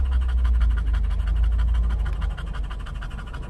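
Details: Panting English bulldog waiting at a Starbucks drive-thru in California for a pup cup. Fast, even huffing breaths at nearly four per second over a heavy low engine hum.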